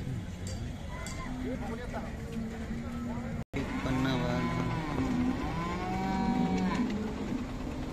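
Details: Khillar cattle at the Sunday livestock market in Sangola, Maharashtra, India, on 12 May 2024: long, steady, low droning moos, one after another, with a crowd murmuring in the background.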